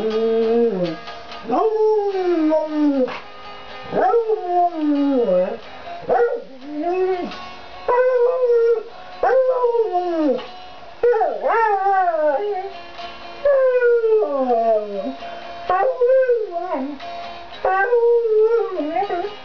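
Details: A beagle that loved singing along to music howls in long, wavering, sliding notes as music plays in the background.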